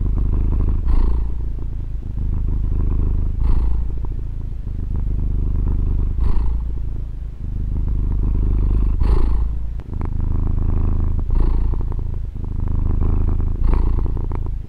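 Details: Female domestic cat purring, recorded with a Tascam DR-40: a continuous low, rumbling purr with a breathy surge about every two and a half seconds, six swells across the stretch, plus faint soft clicks.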